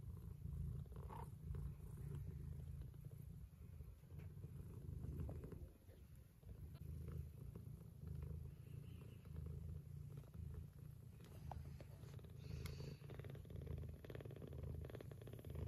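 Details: Mother cat of Scottish straight and lop-eared breed purring as her kittens feed on her milk; continuous deep vibrating purr swelling and easing with each breath, occasional soft smacking sounds from the kittens.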